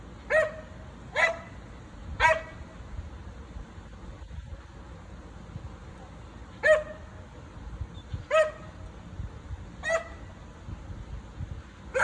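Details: Rosie, a pet dog, barking at neighbours relaxing in their pool in the back yard next door; loud, sharp single barks in spaced bursts, about seven over twelve seconds, over a steady low background hum.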